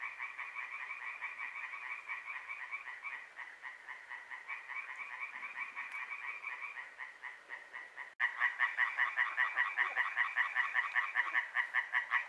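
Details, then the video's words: Night frog chorus in Hłomcza, Sanok commune, Poland, lasting from moonrise to moonset; many frogs give fast pulsed rattling croaks, about two or three per second, growing louder and closer in the last third. "Rechot żab"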